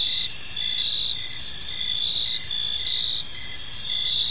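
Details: A chorus of crickets in a calm park in the evening gives a sharp high-pitched hum, with brief chirps pulsing at a slower, uneven pace over the drone.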